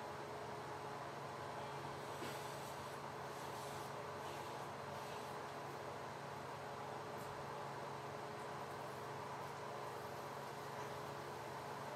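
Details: Christmas morning on a dairy farm: quiet, even machinery hum with steady tonal lines and broadband hiss, no clear animal calls heard.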